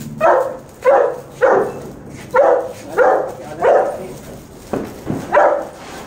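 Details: Saint Bernard named Bunny in Bellary, barking while playing with a flower pot cracker: eight deep, gruff barks in about six seconds, fairly evenly spaced at under a second apart, with a brief pause midway.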